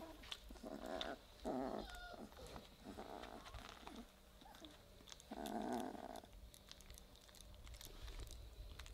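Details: Three-week-old Weimaraner puppies playing together and beginning to growl: low, rough, grainy bursts of about a second each, coming in several separate spells with short quiet gaps, plus faint scuffling between them.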